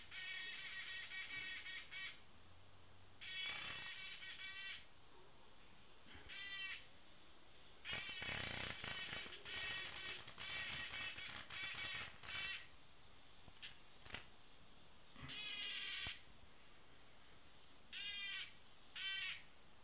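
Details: Repeated harsh, rasping buzzes from a tame cicada, some lasting over a second and others brief, irregularly spaced with short pauses and light crackling between them.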